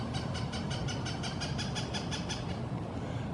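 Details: Rhythmic clattering of a passing train with steady low rumble and no animal voices.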